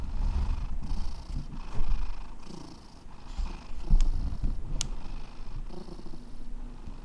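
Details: Close, loud low rumble from Alex, a rescue cat, purring with uneven swells and a couple of sharp clicks, possibly handling noise.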